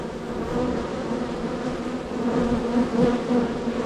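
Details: Many honey bees flying around an active hive entrance, coming and going; a continuous buzzing hum that grows slightly louder toward the end, with fleeting higher whines of passing bees.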